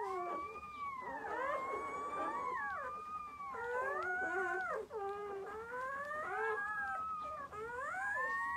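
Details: During the birth of six puppies to a long-coat German Shepherd mother, long drawn-out howls glide smoothly upward and downward, sustained for several seconds each and layered over one another, with almost no silence between them.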